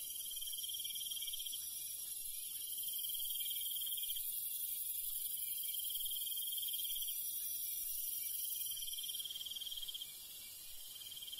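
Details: Crickets at night in the countryside, heard among other night insects: pulsed trills in bursts of about two seconds over a steady, dense high insect hum, with quieter low rustling beneath.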